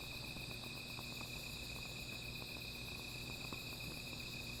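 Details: Insects calling at night near a small fire, a continuous shrill ringing of several even tones layered together, with faint low crackle and occasional soft ticks underneath.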